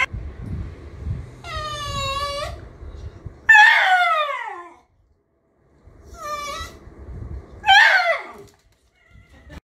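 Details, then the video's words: Homer the miniature schnauzer makes short "talking" outbursts indoors: brief harmonic whines alternating with sharper, downward-sweeping yelping grumbles, in two paired bursts a few seconds apart, with quiet low background rumble. "Anyone else's DOG "talks" like him?"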